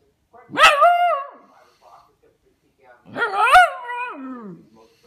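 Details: A Pomsky pup talking: two drawn-out, wavering howl-like vocal phrases, each starting with a sharp yelp, rising then sliding downward, separated by about two seconds of quiet.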